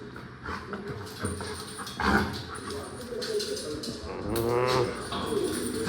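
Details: An excited Rottweiler whines and yelps eagerly about going out, its high wavering cries mixed with a person's voice.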